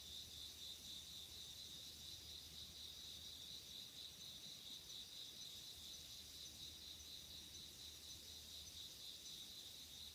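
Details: Insects calling on an autumn night in 2016, late summer into autumn: a dense, steady high-pitched trill of crickets running throughout, a continuous shimmering chorus with faint low hum beneath.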